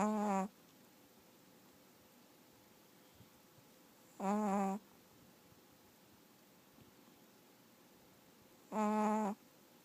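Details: Chihuahua sound asleep indoors, snoring in three half-second tonal snorts about every four seconds, each a buzzy, nasal drone with many overtones, separated by quiet breathing.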